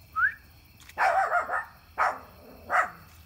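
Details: Dogs, a German Shepherd, a Boxer and a Chorkie, playing wildly at a backyard campfire. Three loud, rough barks come about a second apart after a short high yelp, with a person calling to a dog nearby.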